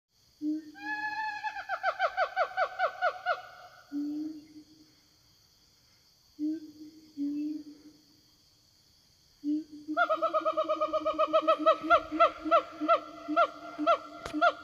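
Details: Siamangs in the forest call back and forth to their companions: deep booming, then loud, rhythmic, wavering barks that quicken and swell.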